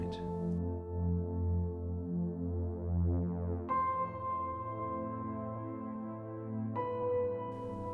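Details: Soft ambient synthesizer music with sustained chords and low drones fills the recording, and no animal sounds can be heard.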